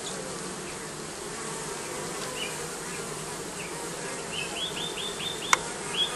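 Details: Continuous humming buzz from bees nesting under the roofing, steady and unbroken, with short bright bird chirps repeating in a quick series near the end and a single sharp click.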